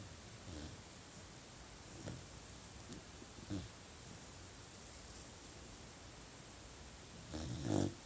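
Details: Asleep, a puppy gives quiet low snores, widely spaced at first, then a louder, rougher double snort near the end. Faint constant background hiss.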